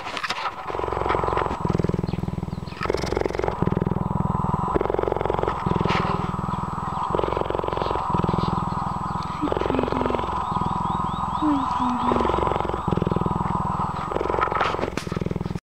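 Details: An old rescued female cheetah at a wildlife sanctuary purrs steadily, a deep rumbling drone that pulses with each breath in and out. She purrs whenever she sees people.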